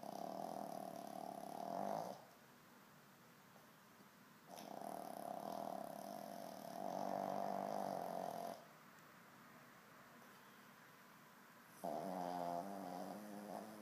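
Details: Dog asleep and snoring all night long; long buzzing, humming snores each lasting two to four seconds, separated by quiet gaps of a few seconds, the last one wavering and rattling, steady low hiss underneath.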